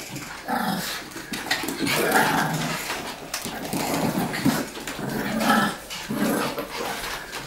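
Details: Dog growling in play indoors, trying to snatch a ball from a person while an older, larger dog gets in the way; rough, noisy growls and scuffling in uneven bursts throughout.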